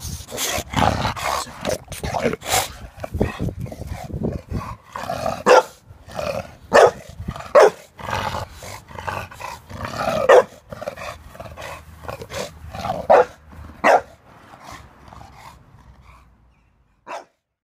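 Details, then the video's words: Barking dog Jack disapproving of a lawnmower: a dense run of rough barks mixed with growly noise, thinning to a few spaced barks and fading to near silence at the end. "Jack does not approve of the lawnmower"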